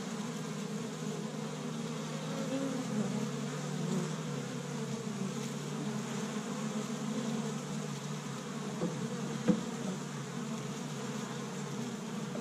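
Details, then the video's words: Crowd of honey bees active at an established hive, first warm spring day in Michigan, foraging pollen from tree buds; low steady droning hum, gently swelling, with a brief sharp click-like pass near the end. "See Busy Honey Bees Active in the Spring"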